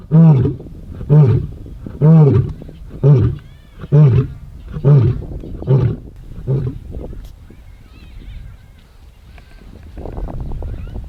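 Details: Ndzhenga male lions in dry bushveld, roaring in displays of dominance: a run of short, deep grunting roars, about one per second, fading out after seven seconds into quiet background rustle.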